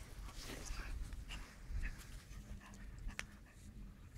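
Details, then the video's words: German shepherd puppy, 49 days old, fighting a sleeve: quick breathy pants and short huffs in soft broadband bursts, with low rumbling handling noise underneath in a small indoor space. "German shepherd puppy fighting"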